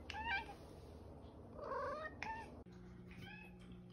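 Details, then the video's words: A female house cat, offered treats, answers her owner with soft short meows that sound like "okay": three brief arched calls spread across a few seconds, quiet beneath a person's voice and room hum. "Talking Cat Says Ok"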